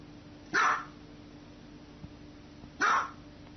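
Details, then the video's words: A dog gives two loud, sharp, harsh barks about two seconds apart over a steady low electrical hum, with nothing else audible between them. "Top 10 dog barking videos compilation"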